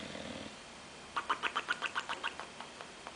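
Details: Oliver the bulldog snoring: a low drawn breath followed by a quick series of about ten short, nasal sputters, each one fading slightly, like a motor turning over.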